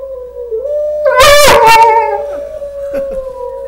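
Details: Dog answering wolves on a screen with a brief, loud, yelping howl burst. A steadier, faint, drawn-out tone sits beneath it and continues through most of the recording.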